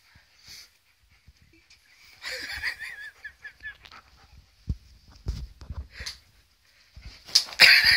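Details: Pet Alaskan malamute named Rocket reacting to a birthday balloon indoors. The dog gives a run of short, wavering whining tones that step downward, amid snuffling, rustling and sharp bursts of handling noise.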